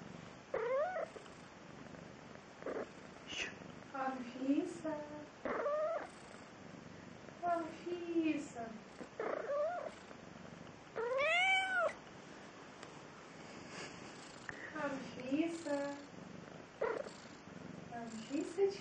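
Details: Domestic cat answering its owner's calls, meowing back in a conversational exchange: repeated arched and rising mewing calls, some short, some drawn out, alternating with a woman's voice calling the cat's name indoors.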